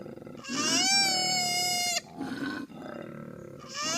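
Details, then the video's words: One sustained koala wail lasting about one and a half seconds, strained and slightly falling at the end, followed by quieter grunting sounds and the start of another cry. "KOALA SOUND EFFECT 코알라 울음소리"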